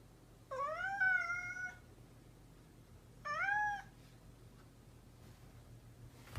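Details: A pet cat gives two long meows roughly three seconds apart, the first rising then levelling, the second shorter and arched, with a quiet steady hum behind.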